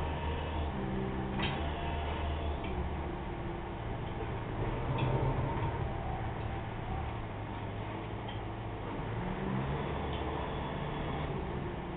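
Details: A steady low rumble of room or vehicle noise with a few faint clicks and taps throughout, and no animal voice.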